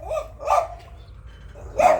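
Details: Domestic dog in Thailand barking repeatedly at someone as the owner keeps telling it not to bark: short yelping barks, two early and a louder one near the end, over quiet background.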